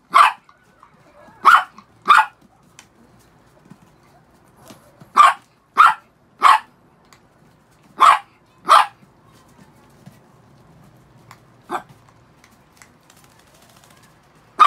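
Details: Six freshly shampooed pet Chihuahuas bark repeatedly: short shrill yaps, often in quick pairs, about a dozen in all, tapering to an isolated bark near the end over a quiet room.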